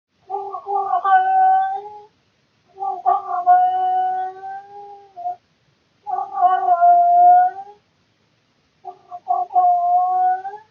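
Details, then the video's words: Male domestic cat calling indoors at night around 3 to 4 am, a nightly routine: long drawn-out harmonic yowls about two seconds each, four calls separated by short silences. "Cat making funny annoying sounds (routine noises at night)"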